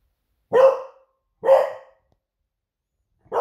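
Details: Female Beagle named Smudge barking in alarm at home while waiting for her owner to return from a surf; three loud sharp barks roughly a second apart, with silence between them.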